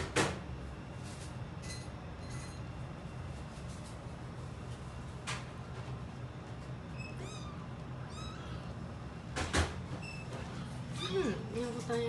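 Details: Rescued calico kitten Mikene, two to three weeks old, meets black resident cat Nekota indoors; after hissing at each other the day before, they quickly become friends. Thin, high mews slide downward near seconds 7, 8 and 11 over a low room hum.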